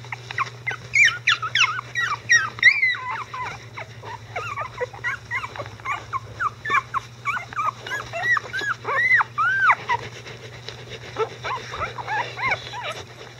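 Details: Icelandic Sheepdog puppies, 11 days old, a litter with their mother and grandparents, growing mobile and vocal: a dense overlapping chorus of high squeaky whimpers and yips, many bending up then down, several per second, with a steady low hum beneath.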